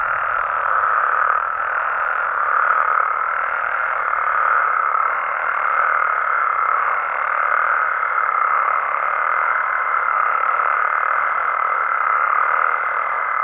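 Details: Nighttime amphibian chorus from Mexico, frogs and toads together: a thick, continuous churring croak texture, with a thin steady whistling tone held above it throughout.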